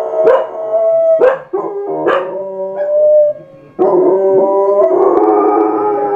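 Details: Pair of domestic dogs in a howling bout, giving several short rising yelps that then merge into long, loud, harmonically rich overlapping howls that waver in pitch and continue to the end.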